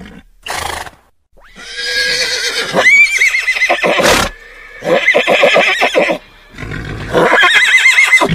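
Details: Horse whinnying repeatedly, each call a loud shrill burst that wavers and shakes for one to two seconds, with short gaps and a sharp knock between calls.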